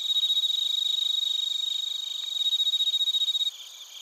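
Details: Crickets, including bell crickets, calling in Narita, Chiba, Japan, recorded with a TASCAM Portacapture X8: a loud, high, evenly pulsed chirping about ten beats per second that stops abruptly near the end, leaving a softer background chorus.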